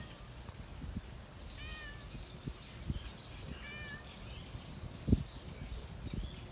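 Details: Park-dwelling stray cat meowing to attract attention, two brief harmonic mews about two seconds apart, while birds chatter continuously in the background and occasional thumps and rustling footsteps break in.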